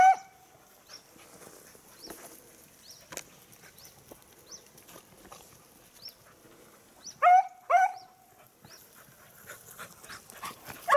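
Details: Beagle on a hunt with the hare lost, October 2022: mostly quiet outdoor ambience with faint small chirps, then two short, loud, rising-then-level bays about half a second apart near the end.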